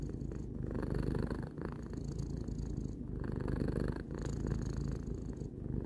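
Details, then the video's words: Tarou, a three-year-old house cat, purrs in a low vibrating drone broken by short pauses about every one and a half seconds, each breath cycle clearly marked. "Cat purring"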